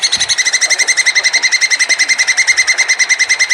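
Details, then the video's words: Plantain squirrel giving a mating call as one sustained, rapid chatter of bright harmonic notes, about three to four per second, steady and unbroken throughout. "SUARA TUPAI KAWIN"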